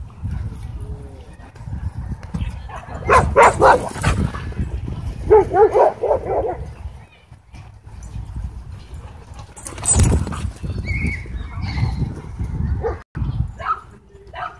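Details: Dogfight between a Doberman and a Belgian Malinois at a dog park, with e-collar correction: two clusters of rapid, harsh barks and snarls, then human voices and scattered higher yips over background rumble.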